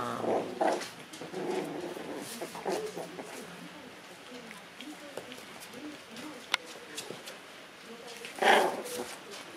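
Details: Red Shiba Inu puppies, three brothers born on 22 September, squabbling indoors: short low growls and whimpering yelps at the start, then quieter scuffling, a sharp click and a louder yelping burst near the end, with human speech in the background.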